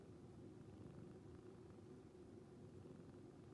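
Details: Sleeping rescued calico cat purring like a snore, relaxing indoors; continuous low throbbing rumble, even in loudness from start to end.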